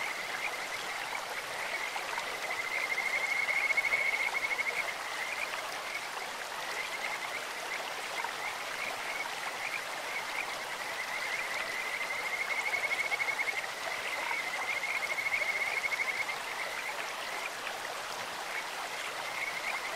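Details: Kajika frogs calling in a clear stream with long bouts of rapid, high, trilled pulses at a steady pitch. The bouts swell and fade in two waves, with quieter notes between, over an unbroken rush of water.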